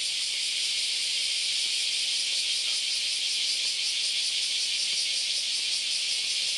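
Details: August morning chorus of countless cicadas along Kyoto's Philosophy Path in Japan: an unbroken, sizzling high hiss, evenly loud from start to end, with slight shimmering pulses.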